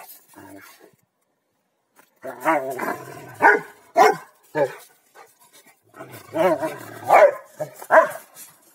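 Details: Rottweilers Malysh and Sam tussle in a king-of-the-hill game. A short opening growl, a pause, then a run of rough growls and punchy barks through the second half.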